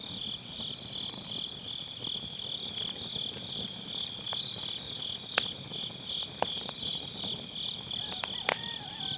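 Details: Steady high-pitched chirring of grass insects on an autumn night, a dense unbroken trill, with scattered loud snaps of firewood from a round fire pit campfire; captured with an MKE600 microphone using low cut.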